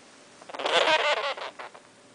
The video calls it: Sugar Glider Growl